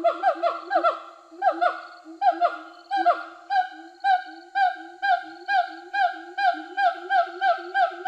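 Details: Released siamangs in Sumatra, free in the forest for over a year, the female calling in support of the male's territorial song: a rapid run of loud, rising-then-falling barking whoops, repeated about twice a second and speeding up, with other calls overlapping.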